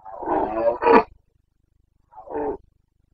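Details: Carpathian stag of the red deer in Bucovina, Romania, roaring in the breeding season, 29 September 2022: a long harsh rising bellow ending in a strained peak, then a shorter hoarse roar after a pause.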